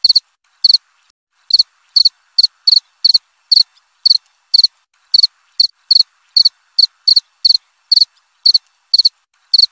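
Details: Cricket calling with rapid high-pitched pulsed chirps, about two per second in an uneven rhythm, no other sounds present.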